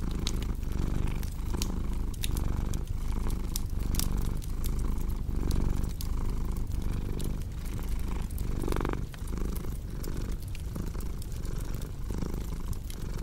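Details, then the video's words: Low, rumbling cat purr swelling and fading roughly every one and a half seconds with the breath, while a fireplace crackles and pops throughout. "Purring Cat"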